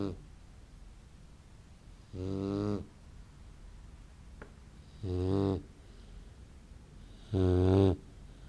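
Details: Great Dane puppy asleep and snoring, three low rasping snores spaced about every two and a half seconds, with faint room hiss between them.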